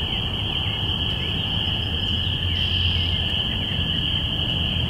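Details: Spring peepers in chorus, recorded binaurally on April 5, 2017 at the start of spring: a dense, unbroken high ringing of many overlapping peeps over a steady low rumble of wind or distant traffic.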